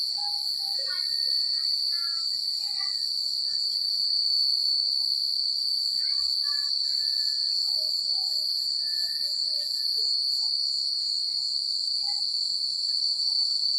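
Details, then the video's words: Crickets chirping on a secluded country night: a sustained high ringing trill carries throughout, overlaid by many faint scattered chirps and whistles of other small callers and a light breezy hiss. "The Sound of Crickets at Night"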